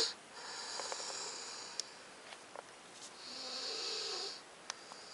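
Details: Titan, a 9-week-old Alaskan Malamute puppy, snores in thin, airy, high-pitched wheezes with a faint low rattle on the second breath. Two long breaths come about three seconds apart, with small clicks and snuffles between.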